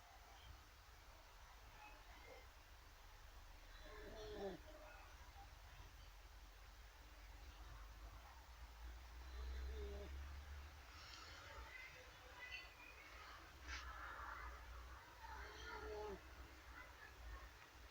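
A Basenji snores loudly, each rough, humanlike breath rising into a throaty rattle and then dying away. The snores come every five or six seconds over a steady low hum in the background.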